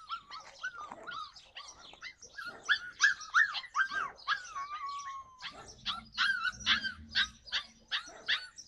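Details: Yakutian Laika in July 2020, excited high-pitched barking and yelping, dense overlapping arched notes, one long level whine near the middle, then a fast, regular string of loud yips.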